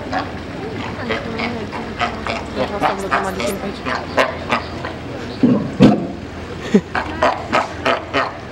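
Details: Zoo sea lions at Frankfurt give harsh, repeated barks, with human voices murmuring in the background.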